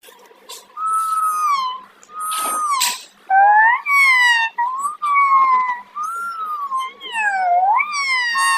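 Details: Several kittens crying in short bursts of drawn-out, wavering meows, some rising then falling, voices overlapping and separated by brief pauses, with faint thumps and rustling in a quiet indoor space.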